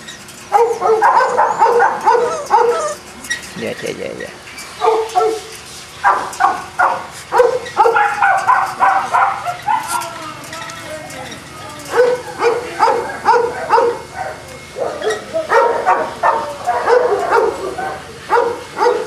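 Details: Kennel-kept Boston Terriers in Jamundí, Cali, Colombia, barking in choppy clusters of sharp yaps with brief lulls, the barks overlapping at times as several dogs call together.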